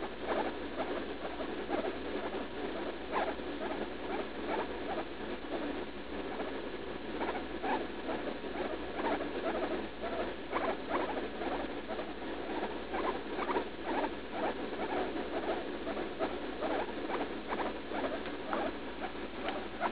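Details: A female pet guinea pig named Leslie, about three, squeaks through painful bathroom trips she has several times daily after eating, while on antibiotics for a suspected UTI. Steady stuttering runs of short pulsed squeaks continue throughout, dense and irregular.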